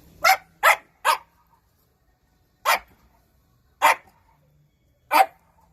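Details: Shiba Inu barking: three quick sharp barks in a row, then three single barks spaced over a second apart, in a quiet setting.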